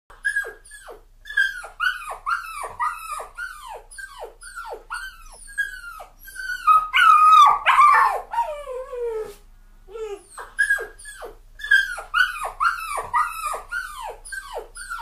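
Cavalier King Charles Spaniel puppies give rapid, high yelping barks and whimpers, over two a second.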